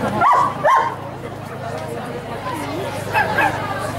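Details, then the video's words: Giant Schnauzer Blackmoore Lord gives two sharp, loud barks in quick succession at the start, then falls quiet while people keep talking in Indonesian over a steady low hum. "Giant Schnauzer blackmoore Lord"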